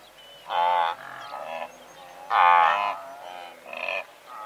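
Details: Medium-close recording of a blue wildebeest herd numbering several hundred: two loud, buzzy nasal honks stand out over fainter overlapping grunts from the rest of the herd.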